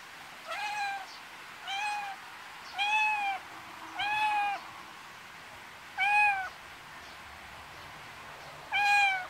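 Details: Pet cat raised in the Korean countryside, heard in a backyard: six clear, evenly spaced meows over about nine seconds, each short with a rising then falling tone, against a quiet background.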